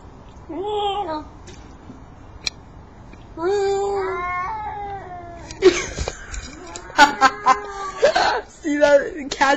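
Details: At night, male cats attracted to a female in heat yowl loudly: drawn-out wavering cries rising and falling, then a burst of harsher overlapping calls with clicks and knocks, and a person speaking briefly.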